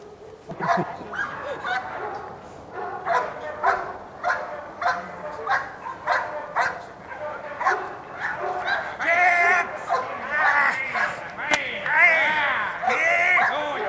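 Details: Dogo Canario named Moro at De la Arena kennel during protection and schutzhund work, barking in a steady series of harmonic barks roughly once per second, growing louder and more strained toward the end.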